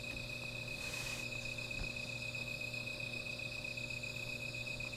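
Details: Insects calling at night beside a small fire: steady high-pitched shrill trills layered at several pitches run without pause, with a low constant hum underneath and a brief rushing hiss near the start.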